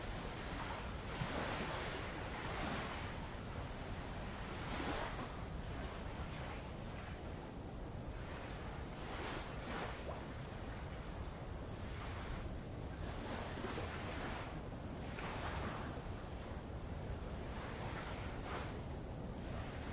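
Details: Tongan insects around the island of Avalau, Kingdom of Tonga, recorded while rowing past old lava: a steady, shrill, high-pitched drone holds unbroken throughout, over soft, repeated washes of light waves lapping on the lava.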